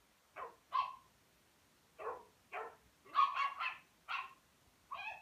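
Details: Rhodesian Ridgeback puppy at play with a Pekingese, barking in a lively string of sharp yaps, some coming in rapid clusters, over a faint background hiss.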